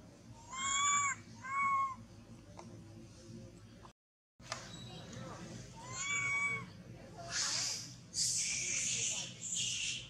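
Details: Baby monkey crying after losing its mother, clutching a tree and shaking; three arched, tonal wails spaced about a second or more apart, followed by harsh, noisy hissing bursts near the end.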